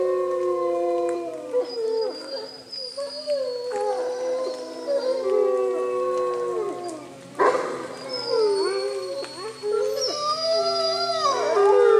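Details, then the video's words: Wolf pack at Bays Mountain Park howling together in the rain, Aiyana among them; several long, overlapping wavering howls that rise and slide down, voices layering into a dense chorus with a brief harsh burst near the middle. "Wolf Pack Chorus Howl"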